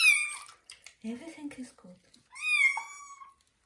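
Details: Kitten having its first bath in a bathroom: a high, loud meow opens, then a person speaks briefly in Russian, then a second long meow that rises and then slowly falls.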